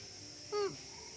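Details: A newborn baby monkey gives a single short, thin cry that starts level and slides downward.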